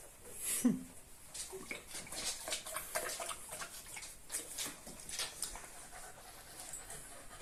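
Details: Panting from a Cocker Spaniel on a night walk with puppy Kara Kız and Simba: a steady series of soft, breathy huffs after a brief sharp sound near the start, over faint low background noise.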